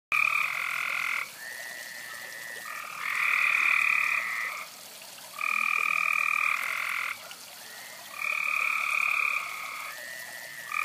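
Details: Several frogs heard beside a fireside, calling in long buzzy bursts of about a second each, alternating and overlapping, with two steady tonal bands and short quiet gaps between calls.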